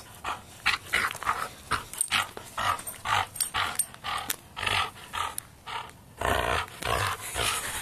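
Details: Dog growling during a game of tug of war, while a second dog looks on calmly; harsh, noisy growl bursts come in an irregular run of about two per second, with rustling between them.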